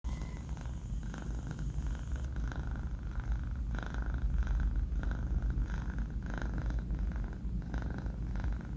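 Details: Banh Mi, a four-month-old male pet cat, asleep indoors, making a steady low rumbling snore-purr with soft rhythmic breathing pulses throughout, no other sounds.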